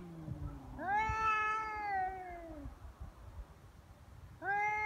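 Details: Feral cats squaring off on Cat Day, 22 February in Japan, trading threats. Two drawn-out harmonic yowls; the first holds steady and then sinks over about two seconds, and a second starts near the end. Low rumbling noise underneath.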